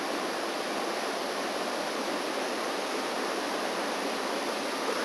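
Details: Steady rushing water like a stream or waterfall fills the recording from start to end, with no animal voices heard.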